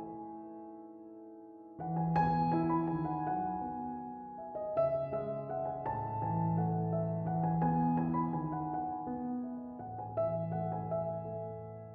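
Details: Soft piano music begins after a near-silent opening and continues with slow chords and a simple melody, with no animal sound.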